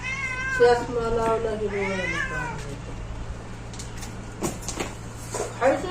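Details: Domestic cat giving drawn-out wavering meows in the first two seconds, followed by quieter rustling and a faint short call at the end over steady low hum.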